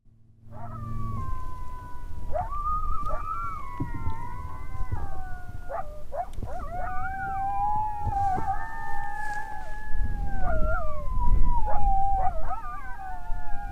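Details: In the Nebraska Sandhills after heavy rain, distant coyotes answer a hunter's howls with wavering, overlapping howls that slide up and down, several voices at once.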